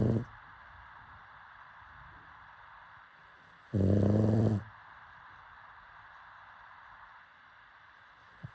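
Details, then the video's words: Pug asleep, giving a single short, rasping snore of under a second midway through, with long near-silent stretches of faint room hiss before and after. "Pug snoring"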